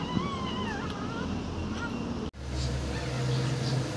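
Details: Newborn dog pups from a litter of nine give thin, wavering whines that slide up and down through the first half. A low household hum runs underneath, then a sudden cut leads to a steadier low drone.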